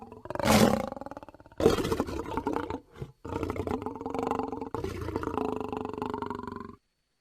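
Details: Lion producing drawn-out, moaning roars with strong harmonic bands. An opening loud burst gives way to several sustained, slightly wavering calls that end in silence.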